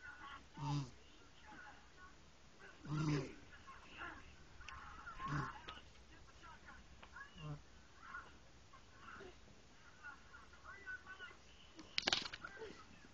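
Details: A sleeping cat snores softly. Low, breathy, rasping snores repeat about every two to two and a half seconds and grow fainter later on. A brief sharp click comes near the end.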